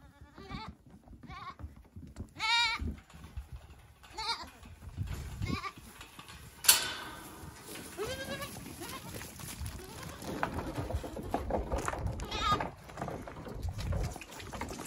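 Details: Goat kids at lunchtime, devouring their feed; several quavering, harmonic bleats come in short bursts every second or so, with one sharp loud cry near the middle, over chewing, rustling and a person's voice.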